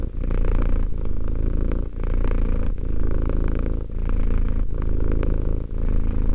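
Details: Purring of Romek, a cat aged two: a deep vibrating drone that swells and eases in cycles of about two seconds, with brief gaps between breaths.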